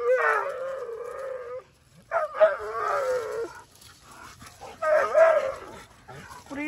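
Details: Husky in a backyard where foster dog Varian and Nova were found digging a hole in the bushes; three drawn-out, wavering moaning vocalizations, each lasting over a second, separated by short pauses, with a person talking to the dogs in between.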